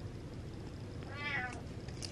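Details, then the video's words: Butters, a pet cat who was gassy, lets out one short, bright, harmonic meow that rises slightly and falls away in under half a second over a steady low room hum. "Squeezing Out The Farts Meows"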